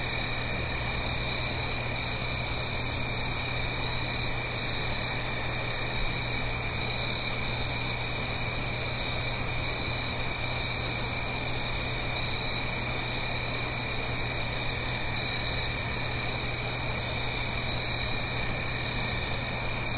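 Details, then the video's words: Crickets singing on an autumn night in the Blue Ridge Mountains, uphill from a gentle stream, recorded in stereo: dense, unbroken high chirring layered in steady bands, with a constant low hum underneath and a couple of brief higher bursts. "Autumn Crickets - 9-Hour Sleep Sound - Fall Cricket Song"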